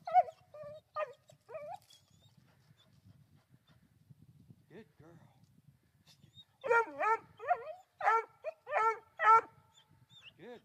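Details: Three-month-old female Black and Tan Coonhound treeing her first raccoon, barking at it up a tree: a few early barks, then a rapid volley of loud, bawling barks near the end, with a man's voice praising her.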